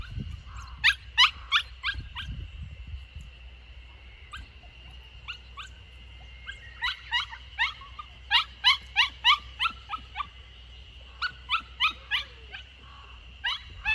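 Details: Samoyed puppy Lucky, 64 days old and on its third day at a new home in Niseko, Hokkaido, Japan, escaping in the garden corner on 3 June 2021; short high yelping whimpers come in quick bursts, about three per second, over a steady high hum.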